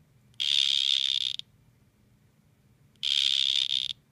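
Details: During a standoff between two male dart frogs, a pair of loud, high-pitched buzzing trills, each about one second, sound roughly two and a half seconds apart against a soft low hum.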